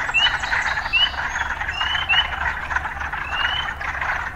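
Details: Frogs in an urban setting: a dense, steady chorus of buzzing croaks, overlaid with short, rising whistled notes every second or so.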